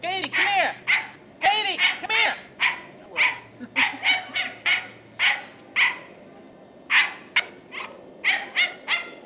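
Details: Squirrel-chasing Scottish Terrier Katie, a 10-year-old female, in November 2008. Loud, rapid barks repeat in uneven bursts, the first few with a wavering, howl-like rise and fall, and a human voice can be heard under the barking.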